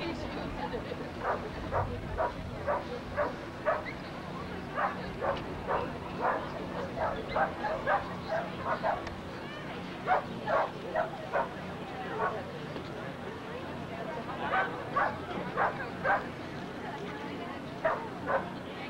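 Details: At the MCKC Kerry Blue Terrier National Specialty show in the United States, October 1993, a Kerry Blue Terrier barks in quick repeated runs of short yaps, roughly two per second with pauses, above indoor crowd chatter.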